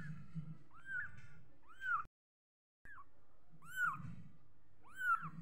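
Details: Young kitten mewing repeatedly, high arched calls rising then falling, about one every second, with a brief break in the sound partway through and a low background hum.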